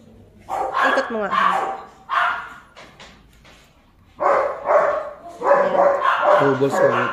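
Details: German Shepherd puppies at a kennel giving bursts of high, harmonic yelps and barks in short clusters, separated by brief quiet gaps, with possible voices mixed in.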